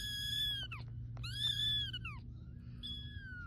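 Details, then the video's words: Kitten calling for its mother to come rescue it, giving loud, high-pitched, drawn-out meows. Two long cries bend sharply downward at the end, and a third, shorter one trails off, all over a constant low hum. "Baby kitten meowing for mom to rescue him"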